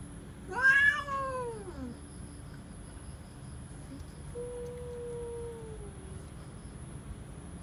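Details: Cats in a real threatening face-off: a loud, brief, wavering yowl, then a quieter, sustained low moan that sags at the end, with background hum.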